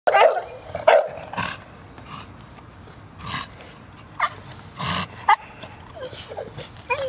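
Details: Male American Bully, blue tri-colour; irregular short barks and yelps, louder bursts near the start and scattered later, with quieter noises between and a brief voice at the end.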